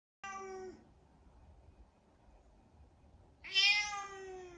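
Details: Domestic cat meowing indoors: a short harmonic meow, then after about three seconds of quiet a louder, longer, bright meow that slides slightly downward.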